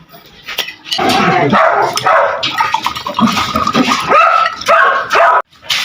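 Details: Several dogs bark noisily, agitated and angry at a man, while people eat a meal; repeated harsh barks overlap in irregular bursts, mixed with voices and household noise.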